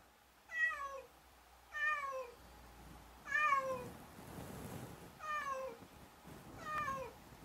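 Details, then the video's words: Domestic cat meowing five times, each meow a clear harmonic call that rises then falls, spaced about every one and a half seconds, in a quiet setting with faint background hum. "GATO MUY GUAPO"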